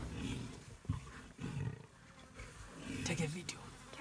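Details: Three male lions attacking an adult buffalo in the Okavango Delta, Botswana, at &Beyond Xudum Lodge; deep rumbling growls rise and fall in several low bursts over four seconds, with human voices mixed in.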